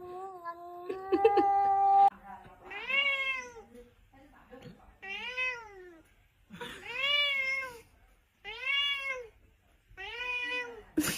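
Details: A cat meows repeatedly in a small room. Five drawn-out, arching meows rise and then fall, coming about every one and a half to two seconds. Steady tones open the recording, and there is a sharp click at the end.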